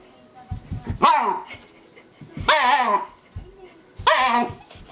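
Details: Elderly Shiba Inu indoors making its usual fuss before pooping: three loud, drawn-out yowling whines that slide downward in pitch, spaced about every one and a half seconds, with soft thumps and short grunts in between.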